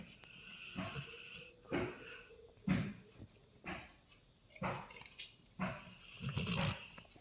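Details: Labrador Retriever snoring in its sleep, a steady train of harsh, rasping inhalations about once a second, some drawn out and throaty, separated by brief near-silent pauses.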